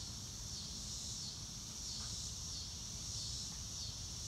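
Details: Crickets calling in an outdoor nature scene under a blue sky with drifting clouds, no music added: a continuous high, hissing trill that pulses gently, with a constant low background rumble.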